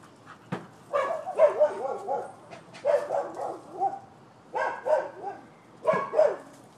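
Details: Neighbors' dogs in Florida, recorded 12/7/15 and described as nuisance barking. Four bursts of two or three loud, hoarse barks follow each other about every one and a half seconds, with short gaps of quiet between them.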